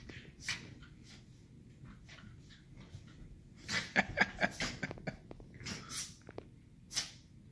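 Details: Two 2-year-old Miniature Schnauzers, bonded companions, playing together in the evening: quiet breathing, then a burst of sharp snorts and huffs clustered in the middle, with a few more scattered toward the end.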